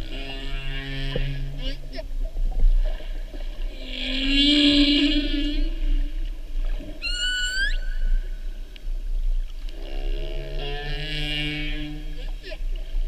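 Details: North Pacific humpback whale song recorded off Oahu during the 2015/2016 mating season; drawn-out moaning tones and higher whistled upsweeps in phrases, with a low constant rumble of the sea beneath.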